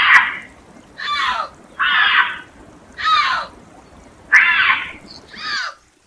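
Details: Bobcat calling in a series of short rough rasping screams, each dropping in pitch, repeated roughly every second.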